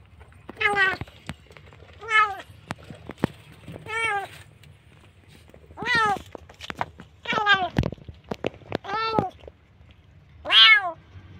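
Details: A kitten found nearly dead in a dark place mews repeatedly, short descending cries every one to two seconds, interrupted by clicks and knocks, with faint low hum throughout.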